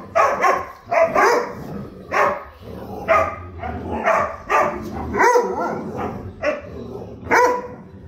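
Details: Four huskies fighting: bursts of rough barks, snarls and yelping howls, tumbling over each other in quick, uneven bouts about once a second, with brief pauses between bursts.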